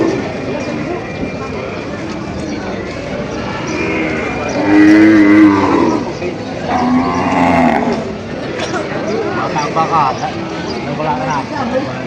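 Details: Cattle at a cattle market in Padre Garcia, Batangas, in July: a long, loud, hoarse moo swelling and fading, then a second lower-pitched moo, amid steady crowd noise and voices speaking Filipino.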